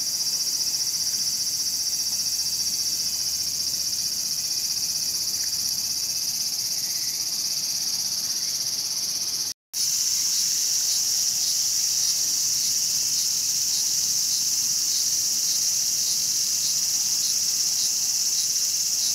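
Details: ['Cicadas at Showa Kinen Park in Tokyo, 2020, where one was being eaten by a mantis; an unbroken shrill, hissy drone runs throughout with one momentary silent gap midway.']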